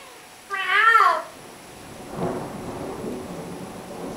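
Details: House cat talking back to its owner with one short, bright meow that rises and falls, followed by a soft low rumble and steady indoor hiss.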